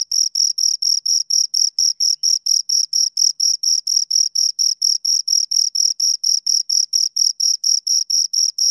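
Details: Two crickets chirping: a steady run of short, high, shrill pulses, about four per second, each with a fainter, even higher overtone. The beat stays even throughout, with no other sounds.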